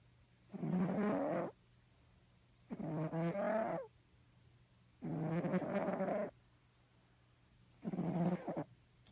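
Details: Crackhead, a fat sleeping house cat, snoring right by the ear: four drawn-out raspy breaths, low and gravelly with layered overtones, coming at a steady pace about every two and a half seconds against a faint hum.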